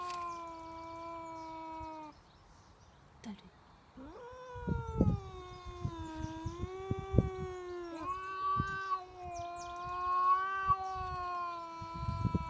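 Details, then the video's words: Male domestic cat unhappy about a neighbour's cat in his territory: long, drawn-out wavering yowls, sustained tonal howls bending up and down in pitch, pausing briefly then resuming, with rustling and faint background noise. "Unhappy cats"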